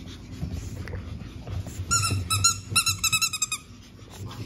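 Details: Young pug puppies, five siblings born April 17, let out a run of high squeaky whimpers, about a dozen short tonal yelps in quick succession, over low snuffling breath sounds.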